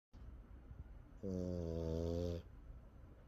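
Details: Sleeping French Bulldog, its snoring strong enough to make a back vibrate, gives one steady droning snore of about a second, deep and buzzy with layered tones, against a quiet indoor background.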